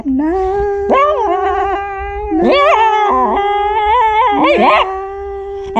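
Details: Momisan, a three-year-seven-month-old female Shiba Inu, angry and singing as vocal practice while her muzzle is touched: a sustained wavering howl with sliding pitch jumps and yelping breaks, nearly continuous throughout.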